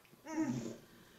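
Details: Winston, a rescue dog of unknown breed, whines indoors as he tries to communicate. A single short, tonal, slightly rising and falling whimper lasts about half a second in a quiet room.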